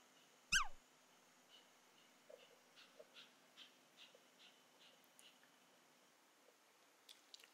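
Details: A female Pomeranian begging for corn gives one sharp, high whine that slides steeply downward.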